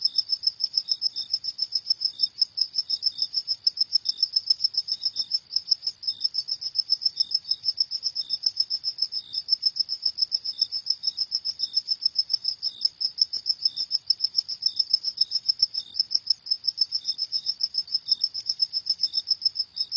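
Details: Cricket chirping at night, a one-hour relaxation recording: steady, rapid high-pitched pulses repeating several times a second in an unbroken train, with softer lower chirps interspersed and no other sounds.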